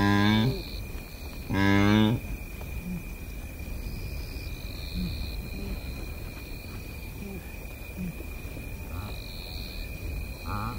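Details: Close-up grunts of a blue wildebeest, Masai Mara Game Reserve, Kenya. Two strong, low, buzzy grunts come in the first two seconds, then quieter murmurs over continuous insect whine and faint bird calls.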